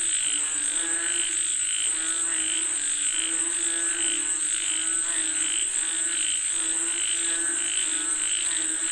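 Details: Frogs calling for rain, a dense chorus of rapid pulsed croaks with a bright repeated trill about every second, layered over a constant high insect-like whine.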